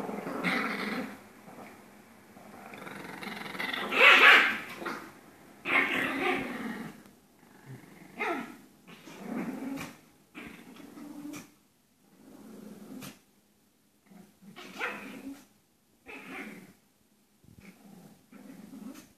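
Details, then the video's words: Pair of Pomeranians at play-fighting: rumbling growls and snarls mixed with occasional yappy barks, a loud flurry near the start, then shorter scattered bursts with brief pauses. "Two Pomeranians have Fun Playing and Fighting"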